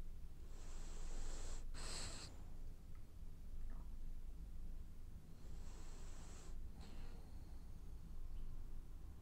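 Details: French Bulldog snoring while asleep and dreaming; two long hissing, breathy snore cycles about five seconds apart, each an airy rasp broken by a brief snort, over a low steady indoor hum.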